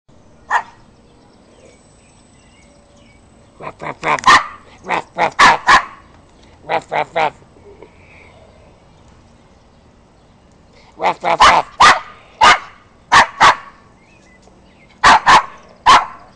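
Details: Yorkshire Terrier being silly, giving short sharp barks in bursts: a few single yaps, a run of quick barks around the middle, then another cluster near the end, with a man's voice talking to the dog.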